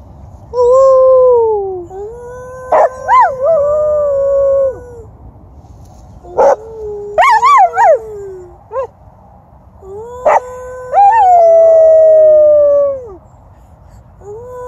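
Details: Australian Cattle Dog at a dog park howling together with its owner after hearing coyotes in the distance; long sustained tonal howls, some wavering and rising then sliding down, in several drawn-out phrases with short breaks between.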